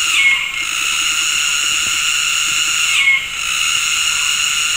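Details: Afternoon cicada chorus in West Malaysian tropical forest at Gunung Ledang, insects synchronizing mating calls from several directions: continuous high-pitched buzzing bands, dipping twice with short sharp squeals, faint low pulsed calls beneath.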